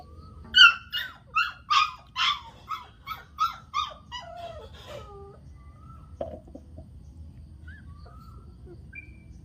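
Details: Newborn dachshund puppies squealing in a run of about eight quick, high-pitched cries that fade and slow, followed by quiet with soft household noise.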